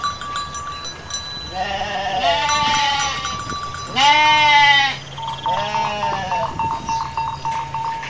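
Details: Dozens of Garut sheep running in paddy fields while rams rage. Three strong tremulous bleats, the middle one loudest, with a sustained ringing tone before and after and faint rustling.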